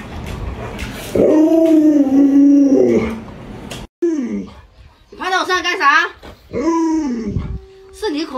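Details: Luoluo, a pet Alaskan Malamute, vocalizes beside its owner, who is sick and cannot get out of bed. A steady, mid-pitched howl lasts about two seconds. It is followed by a brief pause, then wavering, talkative yowls that rise and fall, with a human voice nearby.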